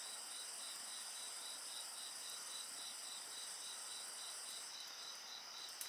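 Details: Chorus of singing insects near a campfire: fast pulsed chirping repeats steadily beneath a continuous high-pitched trill, with a single snap of burning wood at the very end.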